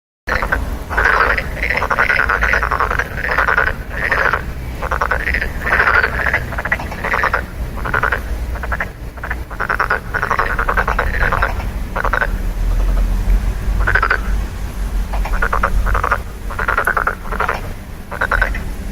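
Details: Frogs croaking in a dense chorus of short pulsed rasping bursts, several calls per second, with a steady low rumble underneath throughout.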